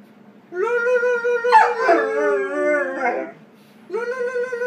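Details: Lager, a 14-month-old male Weimaraner, howling: a steady drawn-out tone that breaks into a wavering, yodelling middle section and fades, then starts again after a short pause, with a faint low hum behind.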